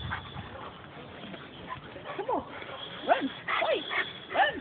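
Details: Great Dane named Nikki, available for adoption, playing next door with the neighbour's dogs; a few sharp, falling yips and whines come between quiet stretches, with faint background noise.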